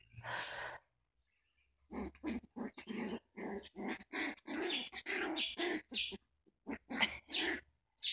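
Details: A small, tough chihuahua gives a run of short, raspy growls and yappy barks in quick bursts with brief gaps, after a person says "no, no" in Arabic.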